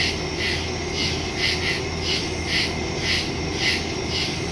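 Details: Woodland crickets at night, September 2, 2023, recorded on a Samsung Galaxy S22 Ultra with a Shure MV88+ stereo mic; high chirp pulses arrive about every half second while a steady low hum runs underneath.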